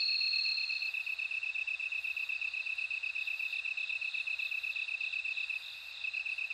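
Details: Steady shrill ringing of bell cricket song, a sustained high tone with rapid pulsing throughout, a brief brighter note at the start, and faint insect buzzing higher above; the sound dips slightly near the end.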